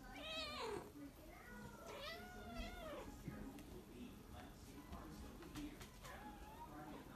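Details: A grey Korat cat meows repeatedly in the morning, each call a clear, arching wail that climbs and then sinks, while a person speaks gently in the pauses between the cries.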